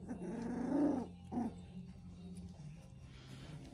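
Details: A three-week-old Central Asian Shepherd Dog puppy in Oregon gives a low, rough, grumbling growl lasting about a second, then a shorter second grumble, followed by quiet and a soft voice.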